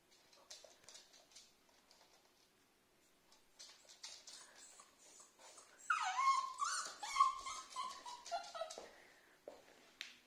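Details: Cavapoo puppy, a female, cries because she can't find her toy: soft scattered whimpers, then a loud high whining cry near six seconds that slides downward and trails into repeated whimpers, with light scratching and clicks indoors.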